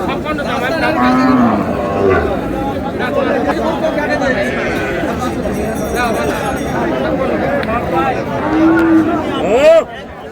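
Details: Local cows with their calves at a busy Raniganj livestock market, Dinajpur, 19 July; short low moos surface from steady crowd chatter and men's voices, with a sharp rising cry near the end.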